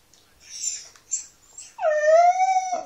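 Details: Pet dog that 'talks', giving one drawn-out, tonal, whining howl of about one second that rises slightly, holds steady and then drops off, after a few short breathy, hissy noises.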